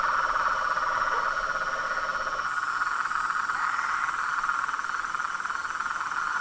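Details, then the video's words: Nightfall chorus of toads, frogs and treefrogs at a pond in front of a house: a dense, continuous buzzing trill of many overlapping callers, with a lower trill fading out and thin high tones above. "A SINFONIA DOS SAPOS, RÃS E PERERECAS"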